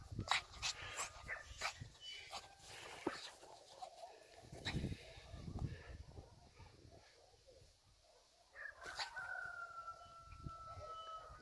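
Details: Fluffy puppy playing in snow, giving a drawn-out high whine near the end, a steady tone that slowly falls, after earlier scattered short yelps, scuffling and crunching of snow throughout.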